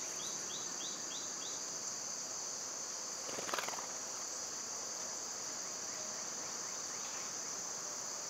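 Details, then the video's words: Cicadas droning continuously in summer, a bright high hiss with no pauses; a quick run of soft repeated chirps opens the recording and a sharp rustling burst cuts in around three and a half seconds. "Cicada sounds"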